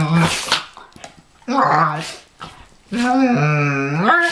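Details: Pharaoh Hound and Ridgeback dogs, one nicknamed Chewbacca for its sound: drawn-out, tonal growling moans in three bursts, the last rising and bending in pitch for over a second, with brief breathy noises between.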